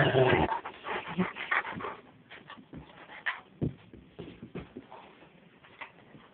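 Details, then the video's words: Two-and-a-half-year-old, 170-pound male Rottweiler Angus at play inside a parents' room, captured on a phone with distorted audio; an opening loud bark-like burst, then irregular whimpers and yips about three per second amid handling noise. "Me Playing With My Rottweiler Angus"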